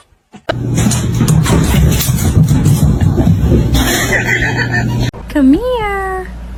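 A kitten gives one clear, rising-then-falling meow after several seconds of people talking and laughing.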